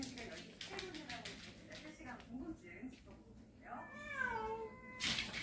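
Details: Storage-shed cat family coming indoors on 14 October; one clear drawn-out meow that starts high and slides downward near the end, after quieter rustling and murmured voices in a small room.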